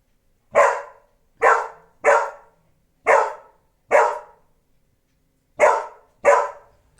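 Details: A pet dog barking at its own reflection in a mirror; seven short, sharp barks in irregular pairs and singles over about six seconds, with silence between them.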